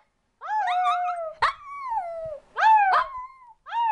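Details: A cute Shih Tzu pup being taught to howl: short rising-then-falling whiny yowls in four bursts, each under a second or so, with a sharp break between them.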